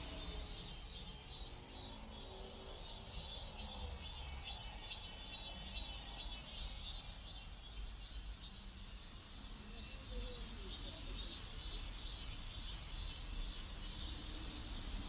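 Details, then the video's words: Cicadas in a South Korean neighborhood: a dense, high buzzing band that pulses in rapid repeated surges, over a low rumble of background noise. "South Korean Neighborhood Sounds Cicadas"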